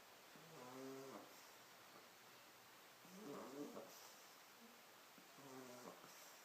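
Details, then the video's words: Sleeping pug puppy snoring indoors: three short, nasal, harmonic snorts about two and a half seconds apart, each under a second long, quiet and low-pitched against a soft background hiss. "Mops Schnarcht"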